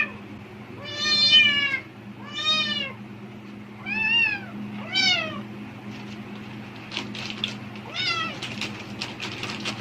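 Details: Cat reacting excitedly to plastic bag rustling, seemingly thinking food is coming: four loud, drawn-out meows about a second apart, then scattered crinkling bag noises and a softer meow amid the rustle.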